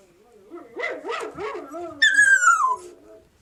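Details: Siberian Husky puppy making a run of short wavering yelps and whines, then breaking into a brief higher howl that slides downward; a faint voice may be present.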